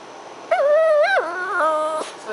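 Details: A pet pup indoors at night, howling along with a young girl in a duet. One drawn-out, wavering whine-howl lasts about one and a half seconds and drops to a lower pitch partway through. The room is otherwise quiet.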